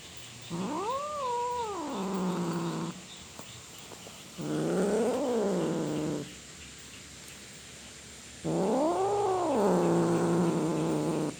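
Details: Cat yowling in three separate drawn-out cries, each rising to a peak and sliding back down into a low wavering moan, with a quiet gap of a second or two between them; described as a cat roaring.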